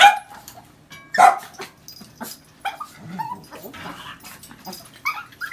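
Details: A white female Shiba Inu in Taiwan barks sharply at a visitor who came in the door. Two loud, harsh barks come near the start, then softer grumbling and whiny vocal sounds follow in a small room.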